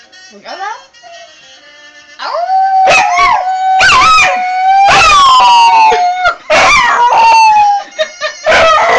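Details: Dog learning to howl: a short rising whine, then sustained tonal howls that bend upward and hold a steady pitch. The howls are interrupted by abrupt yelps and clipped breaks near the end.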